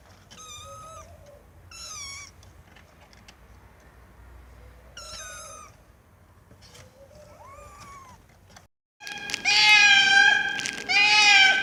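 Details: A cat meowing loudly: a run of short, wavering meows repeated every second or two, then after a brief gap a burst of much louder, overlapping, strained meows.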